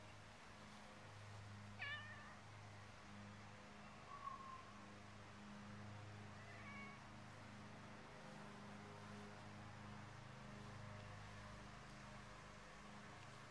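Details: Cats in a yard give a few faint, brief meows, each sliding downward, near the start and middle, over a steady low hum and background noise.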